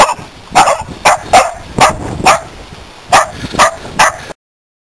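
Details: Corgis outdoors in a front yard barking to warn about a snake they found; sharp barks in uneven bursts, roughly two per second, with a faint steady hum in the background.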